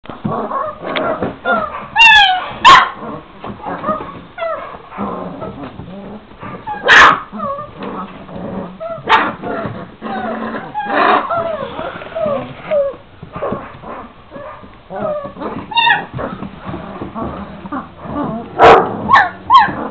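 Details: Šarplaninac puppies, 26 days old, a litter of three males and five females: a busy mix of short high yaps, whimpers and squeals from several pups, with sharp clicks or knocks scattered through.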